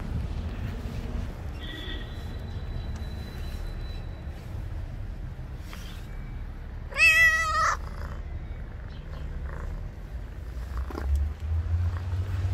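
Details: ['Street-dwelling stray cat meowing loudly as though trying to communicate; one strong wavering meow near the middle, a faint thin tone earlier, low background rumble throughout.']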